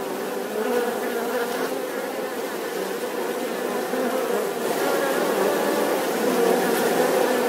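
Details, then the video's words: Buzzing of a bee, a sustained rough drone that grows somewhat louder toward the end, with faint ticking pulses. "The sound and picture of the Bee"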